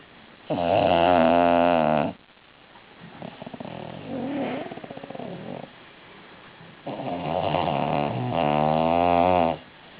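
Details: Female bulldog Didi snoring loudly, with heavy, rattling harmonic snores lasting over a second each, and a fluttering, softer breath between them, in a steady sleeping rhythm.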